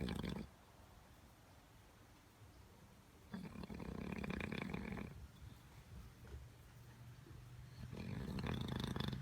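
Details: Bulldog in a car, said to be only faking sleep when snoring this loudly, giving harsh, rasping snores of about two seconds roughly every four seconds over a low engine-like rumble.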